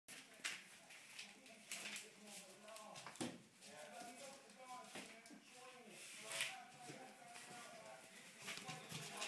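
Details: Litter of English Springer Spaniel puppies, 22 days old, playing and toy fighting indoors; many short, high squeaky yelps and whines overlap in quick, uneven bursts, with a person talking nearby.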